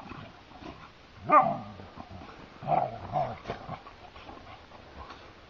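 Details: Two Siberian Huskies play-fighting outdoors on a heath: a couple of short, moaning, whiny growls with a wavering pitch, separated by quiet stretches, with faint rustling between them.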